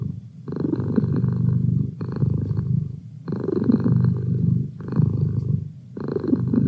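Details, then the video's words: Pet cat purring steadily up close: a low throbbing rumble rising and falling with each breath, louder phases lasting about one to one and a half seconds, separated by brief softer pauses. "Cat Purr"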